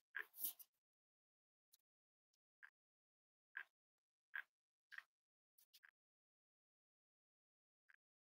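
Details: Cavalier King Charles Spaniel puppies snuggling in a cozy room, raised as emotional support animals: a brief noisy burst, then a series of short high whimpers and yips spaced irregularly, roughly one every second.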